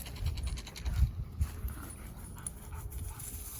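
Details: Retriever on a walk, panting rapidly in soft low breathy puffs, with faint rustling and scuffing around it.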